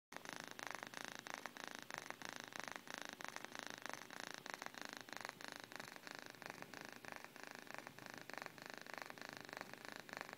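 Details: Miyuki the cat purrs softly while napping, a steady low rumbling drone broken into dense rapid pulses that run unbroken through the whole stretch, recorded quietly and close up indoors with no other sounds.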